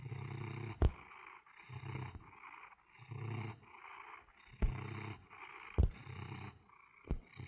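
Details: Pet cat purring steadily, a deep rumble swelling with each breath about every second and a half, broken by a few sharp clicks.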